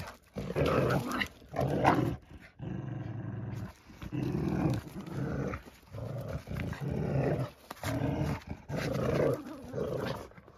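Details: Chug dog Dagmar growls while playing with a pup: repeated deep, harsh rumbles of about a second each, with one longer, smoother drawn-out growl early on, indoors with no other noises.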